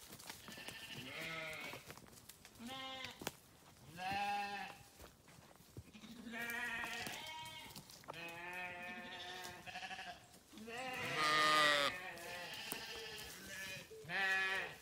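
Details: Sheep bleat again and again, wavering voices of differing pitch calling in turn, roughly twenty calls a minute, with short quiet gaps between.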